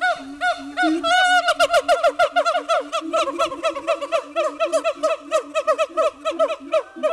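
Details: Siamangs at Dubbo Zoo give loud, ringing hoots that speed up into a rapid pulsing series.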